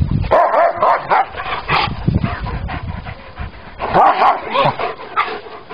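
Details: A Rottweiler playing with a wolf at a park makes throaty growls mixed with higher whimpering yips in quick, uneven bursts. A person speaks French nearby, and a second canine voice, possibly the wolf, may be mixed in.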